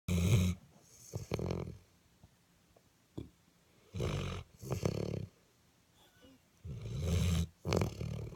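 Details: Dog snoring: low, rough, breathy snores repeating about every one and a half seconds, with pairs of noisy bursts and quiet gaps between breaths.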